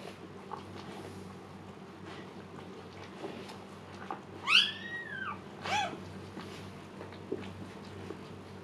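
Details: Siberian Husky named Luna in labor indoors during her second birth, calm this time; two arched, high whining cries rise and fall midway, followed by a shorter thin squeal, over a steady low room hum.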